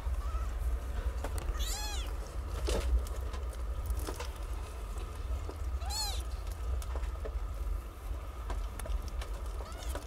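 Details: Newborn kittens, nine of them, learning to nurse from their mother in a cat house: two thin, high, down-curving mews about four seconds apart over a steady low rumble and scattered clicks.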